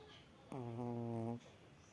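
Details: A sleeping male Chihuahua gives a single drawn-out, nasal snore with a low, buzzy tone in a quiet room.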